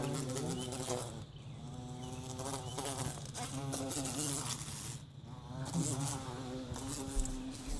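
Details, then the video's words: Continuous deep wing buzz from a bumblebee being set free, rich in overtones, with its pitch rising and falling in brief waves and loudness swelling and dipping. "sounds of be buzzing"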